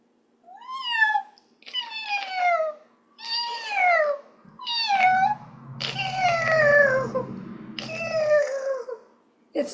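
A caracal gives a string of clear, falling meows, some with a rough purring buzz beneath.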